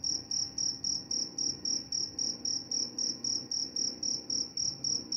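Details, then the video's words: Steady cricket song made of clear, bright, high chirps, evenly spaced at nearly four per second, about nineteen in all, over a soft low background hum. "Suara jangkrik"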